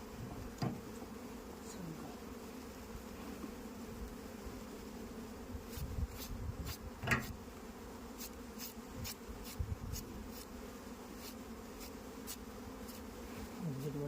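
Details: Continuous low buzzing of many honey bees at an Indian beekeeping site, with repeated crisp ticking clicks in the second half and an occasional dull knock.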